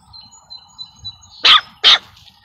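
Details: Kimba, a 27-day-old White German Shepherd puppy, gives two sharp, high-pitched yelping barks about half a second apart, following a faint steady tonal hum in the background.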